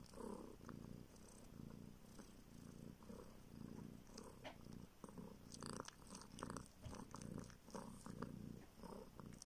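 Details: Purring baby kitten from northern Siberia, found on the street, suckling a finger for milk: continuous low throbbing purr in rhythmic breaths, overlaid by frequent moist suckling clicks and smacking noises.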